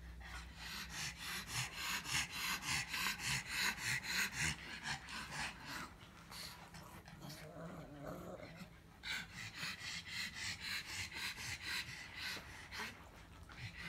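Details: A pug's rhythmic snorting grumble: fast, regular breathy pulses at roughly three or four per second, pausing briefly midway before resuming, with a faint low hum behind.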